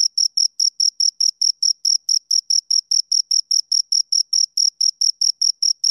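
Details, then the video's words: Short, bright, high-pitched cricket chirps from two crickets, spaced evenly at a brisk, regular pace. The recording is clean and otherwise silent. "Two Crickets Chirp Sounds"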